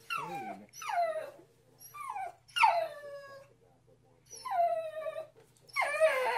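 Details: Mona Lisa, a pet Pembroke corgi, whining in a series of short, high, falling cries, about six bursts with quiet gaps between them.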